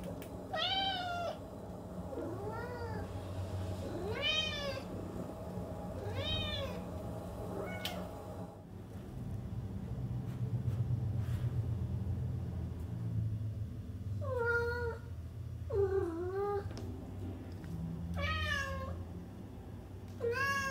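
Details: Domestic cat producing short arched meows in quick succession, then a pause filled with low rumbling noise, before more sharp rising meows resume toward the end.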